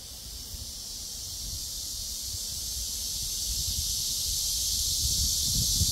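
Cicadas drone in a steady, high, hissing buzz that swells slightly, with a low wind rumble beneath.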